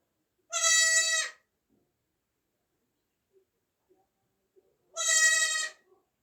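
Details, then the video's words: Newborn baby goat bleating twice, about four seconds apart, each a loud, high, wavering nasal cry under a second long, with near silence and faint small clicks between. "new born baby goat sound effects"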